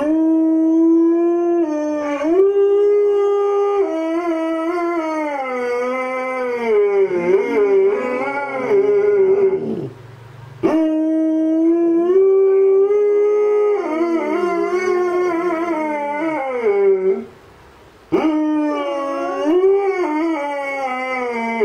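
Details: Tarski, a male Alaskan Malamute, howls along to a siren while a female malamute is in the background; sustained, wavering howls with rising and falling pitch, separated by two short breaths and a fresh start each time.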